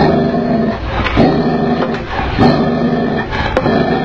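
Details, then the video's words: Tibetan Mastiff in an angry mood giving deep, rough, harmonic-rich barks and growl-like bursts that run together almost without pause, peaking roughly every second. "Tibetan Mastiff Dog in Angry Mood"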